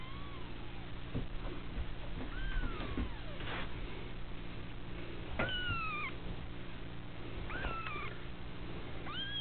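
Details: A litter of female kittens at the Felis Anatolia Cattery, giving high, arching meows that rise then fall, spaced irregularly through the clip, some short and some drawn out, over a steady low electrical hum.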